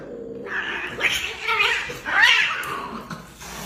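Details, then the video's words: Domestic cat in a funny compilation, giving a run of wavering, nasal meows over about three seconds, rising and falling in pitch, with some background noise. "funny cat sounds"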